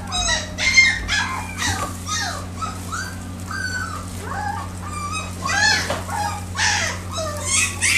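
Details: Male Shiba Inu giving a dense run of high, overlapping whines and yelps, many sliding up then down and tumbling over each other for the full eight seconds, above a steady low electrical hum.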